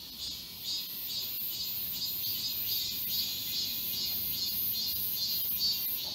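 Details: Summer cicada chorus in Galsan Park woodland, Seoul: shrill, sizzling pulses repeat evenly, roughly 140 per minute, on top of a continuous high-pitched hiss, with no other clear sounds.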